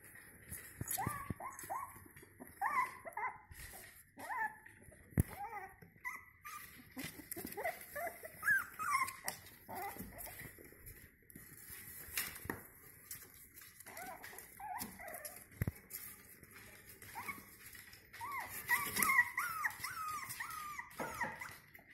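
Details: Five-week-old Jack Russell Terrier puppies give high, thin whimpers and squeaky yelps in quick, uneven bursts.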